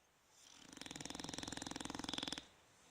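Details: Bulldogs Fukumaru and Rikyu snoring, recorded 26 November 2016: one fluttering, rattling snore of rapid, evenly spaced pulses lasting under two seconds, rising out of near silence and stopping abruptly.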